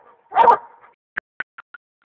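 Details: A one-year-old male Black and Tan Coonhound, with his quarry treed, gives one loud, hoarse treeing bark, followed by a few sharp fading knocks.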